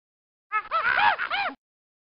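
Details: Monkey letting out a short burst of squealing calls, several arched rising-and-falling notes packed into about one second, with silence before and after.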